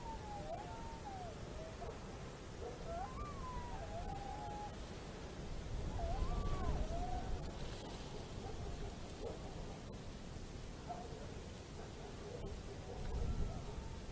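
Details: Wolf chorus in Estonia, 27 December 2017, with several animals giving short, bending, yelping howls that rise sharply and fall in quick succession, the calls overlapping across the stretch against a constant rumbling hiss.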